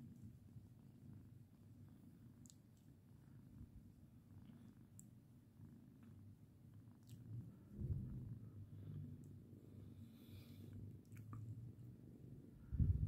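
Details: Lirael, a pet cat, purring contentedly as she is stroked; continuous low rumbling purr throughout, swelling a little near the end with a couple of louder bumps, light handling noises.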